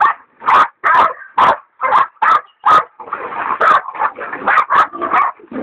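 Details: Leopard dog Dollie, in training, and Dixie bay a big sow hog; spaced loud barks open the clip, then give way to rapid, overlapping yelps and whines from the dogs.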